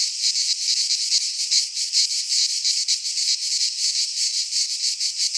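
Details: Cicadas singing in midsummer in a Greek pine forest: a dense, continuous high buzzing that swells and pulses in rapid throbs, with no other sounds heard.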